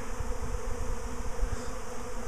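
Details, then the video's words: Swarming honey bees clustered on a tree trunk, a few already sitting on a nearby box, a week after a previous swarm; continuous low buzzing drone with slight fluttering pulses in loudness. "BEE SWARM 2"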